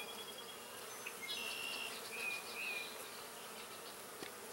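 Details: Honeybees working purple deadnettle, one of the first spring nectar plants in a field, and bringing in pollen; an even hum of wings with brief rising and wavering whines from passing bees and a faint click near the end.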